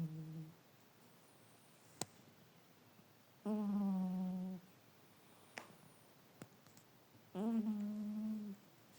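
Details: Yloulie, a domestic cat, sleeping through a nap indoors and snoring: drawn-out, even, low buzzy breaths of about a second each, two clear ones about four seconds apart, with a few faint clicks between.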